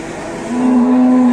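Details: Angry, rampaging cow at a crowded Indonesian market: a brief, steady, low moo with layered overtones swells in halfway through and holds to the end.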